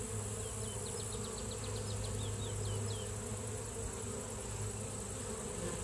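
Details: Honey bees at the hive give a steady, dense low hum that fills the whole recording, while a small bird adds a quick run of high chirps early on.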